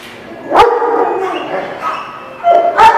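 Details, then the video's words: Dogs at a dog lot barking, two sharp bark bursts at the start and end framing a continuous chorus of yelping and whining dogs in the background. "The Barking Lot"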